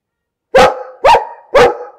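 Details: Close, loud dog barks, three in a row about half a second apart, each a rough mid-pitched woof with a slight upward bend and a lingering resonant tail.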